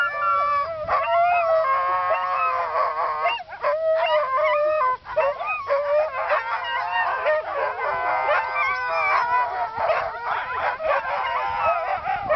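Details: Several Siberian Huskies singing together: dense overlapping howls with steady and wavering tones, layered voices forming a continuous chorus that breaks briefly twice and then resumes, louder and more tangled toward the end.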